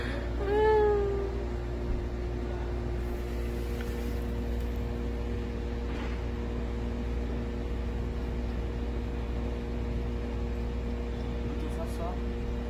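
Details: Stray cat from Haeundae, one of a rescued mother-and-daughter pair that survived seven years there with bones healed crooked after a traffic accident, utters one short harmonic meow near the start, then only a steady low hum and faint room noise.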